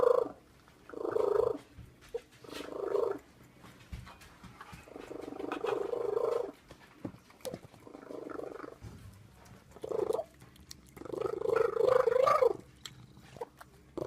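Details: Cat giving a terrible sound: mid-pitched, wavering yowls of one to two seconds come in uneven bursts, separated by quiet gaps with faint background hum.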